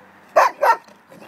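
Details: Hector, a very large long-haired German Shepherd aged one and a half, neutered, put up for adoption in Attica: two loud, short barks about a third of a second apart, then quiet background with a person talking to the dog.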